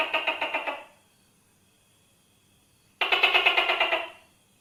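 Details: Tokay gecko giving two bursts of rapid rattling clicks, about nine even pulses each, separated by a two-second silence. No other sounds.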